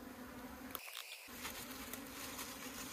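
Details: Honey bees at an opened hive in the hills of Puning Meilin, Guangdong, kept by a Hakka beekeeping couple while honey is harvested; a steady, low droning hum continues throughout, briefly dropping out near the start, with faint clicks and rustling.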